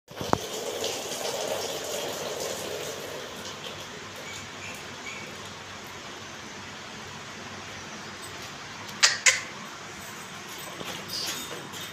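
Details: Steady indoor hiss like a fan, with a few brief knocks and faint voices; no animal sound.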